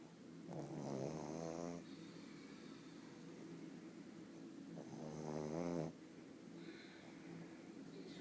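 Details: Pug named Bóris asleep and snoring indoors: two long rasping, buzzy snores with a fluttering texture, each lasting about a second and a half, separated by quieter breathing.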